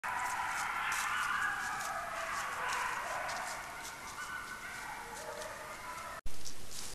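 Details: Coyotes caught on a trail camera howl together in overlapping, wavering tones that slide up and down.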